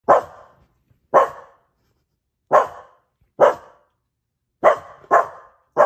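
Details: Dogs bark in sharp, loud bursts, roughly one every second, barking at the TV.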